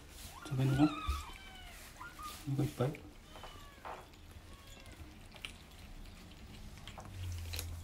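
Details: Rescued kittens of Team Zeb, day 26 of their growth record, chattering while eating dry kibble indoors; several short meows bend up and down in the first three seconds, mixed with a woman's voice, crunching and room hum.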